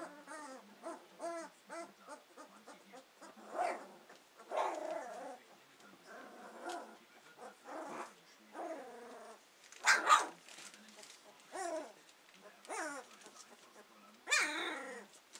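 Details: Hovawart puppies from Paula's litter, just over two weeks old and beginning to use their senses to explore, whimper and squeal in overlapping bursts, several pups at once, with high squeaky whines, short yelps and soft grunts roughly every second.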